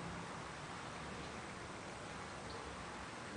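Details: Even, hissing broadband noise like rain or television static fills the room, with no animal sound.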